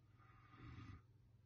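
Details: Caucasian Shepherd Dog named Kuzma, asleep, gives one low rumbling snore lasting under half a second, deep and rough, swelling then fading against a quiet background.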